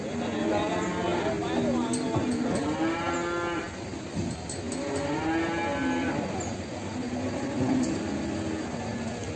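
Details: Limousin cattle calf in the morning at Ambarketawang, Sleman; several low, wavering moos follow one another over a noisy background with clicks and a busy crowd-like rumble.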